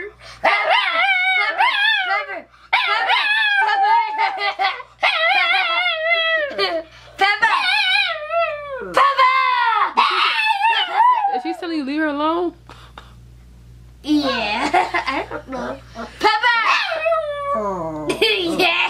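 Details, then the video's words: Pet dog named Chloe, a female, indoors, protesting at being called Pepper, a name she hates: wavering, whiny, speech-like yowls rising and falling in pitch, delivered in bursts of about two seconds with short pauses, while people repeatedly call her name. "MY DOG IS A TALKING DOG"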